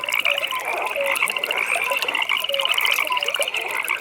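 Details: Frogs calling at a pond in a natural nighttime setting: a dense chorus with a steady high pulsed trill running throughout and scattered lower short croaks beneath.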